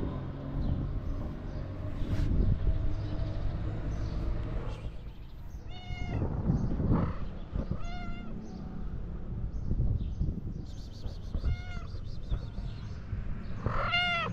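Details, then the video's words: Tuxedo cat meowing: after a rumbling, noisy start, clear rising-falling meows appear from about six seconds, four or five of them spaced a couple of seconds apart over steady background hum. "The tuxedo cat is very cute and has a wonderful meow."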